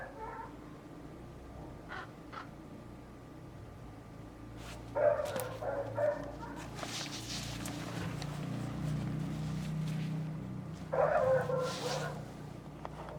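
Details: Neighbour's dog, with at least two other dogs set off, barks in bursts: a cluster of sharp barks around the middle and another burst near the end, with a low engine drone from a passing dirt bike between.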